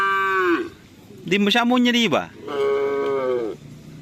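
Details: Karapan sapi racing cattle of the Madura breed: three loud, sustained lowing calls in quick succession, the middle one wavering and rougher, with faint music in the background.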